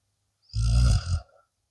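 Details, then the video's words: Deep, guttural snore from a sleeping blue Akita Inu, a single rasping rumble of about three quarters of a second that swells, dips and trails off with a faint tail. "snoring akita"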